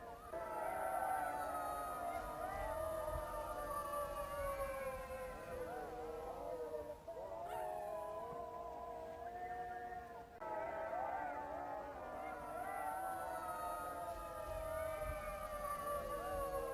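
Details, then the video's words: Jackals howling together in a continuous group chorus of quavering, looping wails and yips. The sound weakens briefly around seven and ten seconds, then swells again with overlapping voices. "Çakal sesi - jackal sound"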